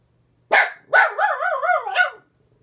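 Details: Dog vocalizing at a neighbor spotted out the window: one sharp bark, then a long wavering, yodel-like howl that wobbles up and down for about a second before ending in a final yelp.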